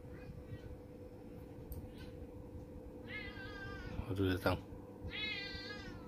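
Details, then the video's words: Orange domestic cat indoors giving two drawn-out, wavering meows with a brief human exclamation between them, over a steady electrical hum. "Kucing Oyen Funny Cute Cat"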